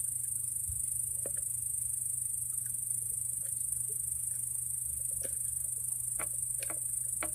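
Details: Raspy cricket drumming by kicking the wall with its legs: scattered, sharp, dry taps at irregular intervals, some in quick pairs, heard over a constant high-pitched hiss and a low steady hum.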